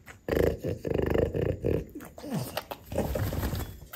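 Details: French Bulldog indoors, from a household of a grandmother, mother and son of the breed, reacting around mango; pulsed, throaty grumbling moans in quick bursts over the first second and a half, then a short falling whine and softer snuffles.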